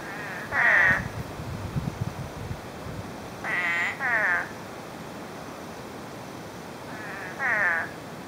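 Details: Spadefoot toads out after nine inches of rain within a day, in brush: low rustling at first, then several nasal, vibrating bleats, some paired, with long gaps between.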